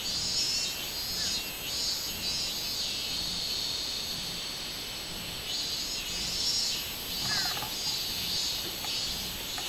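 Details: Robust cicada, known in Japan as minminzemi, recorded 24 July 2016: a loud, high buzzing drone with steady pulsing beats that swell and fade across the clip. A short chirp rises briefly near the seventh second.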